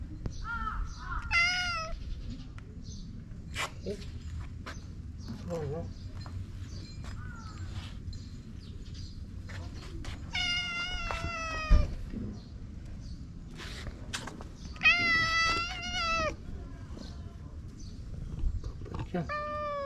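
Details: Affectionate stray cat in a Japanese park, rubbing against a person while being brushed: several meows, some short and falling, two longer wavering ones, spread among a man's speech, clicks and rustling.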